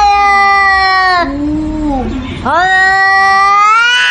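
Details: Cat caterwauling in two long, loud yowls, each held level and then bending, separated by a short dip with rough breathy noise.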